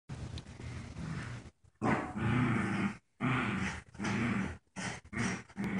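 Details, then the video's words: Joy, a paralyzed puppy in a diaper, plays tug of war with her friend Wicket; low rumbling growls come in long bursts broken by short pauses, with harsh noisy edges. "how does my paralyzed pup always win at tug of war?"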